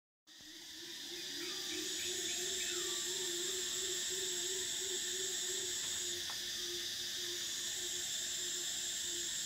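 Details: Cicadas in summer: a dense, steady high buzzing drone fills the upper range, with a lower sustained humming tone beneath and faint short chirping bird notes scattered through the first half.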